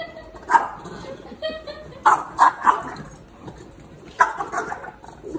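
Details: Young Great Dane playfully harassing a French Bulldog indoors: short sharp barks and yips in a few clusters, roughly at half a second, two to three seconds and four seconds, with a person's voice nearby.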